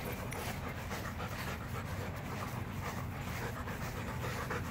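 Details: On a hot day outdoors, Macho, a Rottweiler, pants hard and continuously in quick, even breathy strokes, with a dense hiss of background noise.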